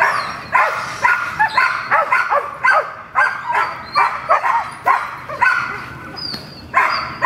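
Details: At protection training on May 12th, the female dog Gold barks steadily at a new decoy, about thirteen short harsh barks in seven seconds with a few brief gaps, and thin high tones in the background.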